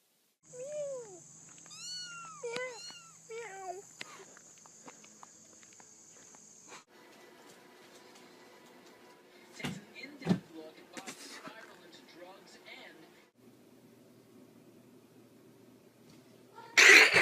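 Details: A cat mews in quick, thin, downward-bending calls over the first four seconds under a steady high whine, followed by scuffling household noise and a loud crash at the end.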